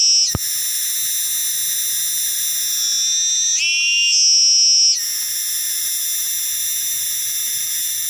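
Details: Cicada, known locally as tonggeret, garengpung or kinjeng tangis, giving a loud, shrill, continuous metallic whine that holds steady, shifts and wavers in pitch midway, then settles back into the same piercing unbroken drone.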